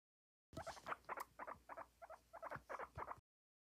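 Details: Guinea pig popcorning, letting out a rapid series of short squeaky chirps, about a dozen clustered bursts in under three seconds at an uneven, bouncing rhythm.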